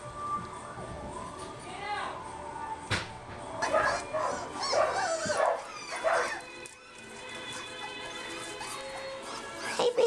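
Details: English Springer Spaniel puppies from a winter 2012 litter, with pheasant wings, whine and yelp in high, wavering bursts, busiest midway through, with soft voices and background sound underneath.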